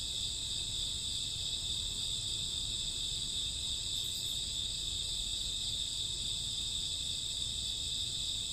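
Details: Night chorus of crickets in summer or autumn: continuous high-pitched trilling in stacked bands, unbroken and even in loudness, with faint low background hum.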